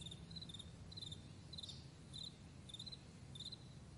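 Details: Crickets in the morning on a vast meadow: short pulsed chirps, bright and high, repeated in quick bursts roughly every half second, over a steady low rumble.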